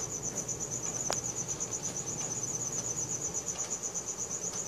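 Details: A cricket chirps at night, recorded on a Samsung Galaxy S4: a high, pulsing trill of quick repeated chirps, steady and unbroken, with a single sharp knock early on and quiet low background noise.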